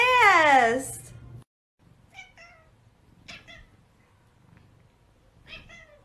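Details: Domestic cat indoors giving one loud, drawn-out meow that slides downward over about a second, followed by quiet, faint chirping sounds and soft background noise.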